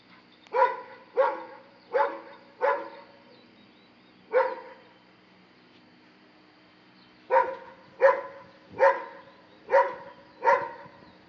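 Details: A Dobermann confronts a monkey with a series of evenly spaced, clipped barks, about one every half second. A pause follows, then another run of five barks.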